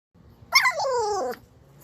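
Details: A pit bull puppy gives a drawn-out, slurred bark that slides downward, 'talking' to its owner.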